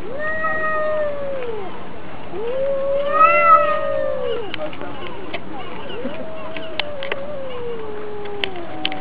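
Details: Two cats fighting, one against another; long drawn-out yowls, each wavering then sliding downward, three main cries of one to two seconds, with a brief higher-pitched wail in the middle and small clicks near the end.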